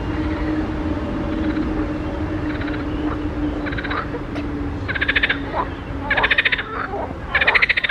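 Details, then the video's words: Frogs in a pond: after a quieter stretch with a steady low hum, rattling pulsed croaks arrive in short bursts, growing louder and more frequent toward the end. "grenouilles chantes croasses leurs mélodies des grenouilles dans un etand d'eau"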